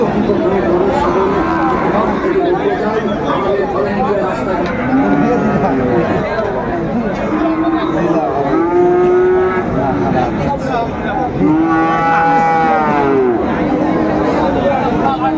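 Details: Sahiwal cattle at Raniganj cattle market in Kushtia, Bangladesh, on a Thursday, 16 January 2025. Several drawn-out, arching moos rise and fall, the clearest near the end, all half-buried under constant crowd chatter, men talking and passing vehicles.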